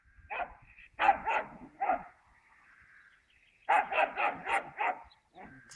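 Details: A wire-haired fox terrier guarding his toy from another dog in a field barks sharply in two bursts, three quick barks then five in a row, over a faint steady background tone.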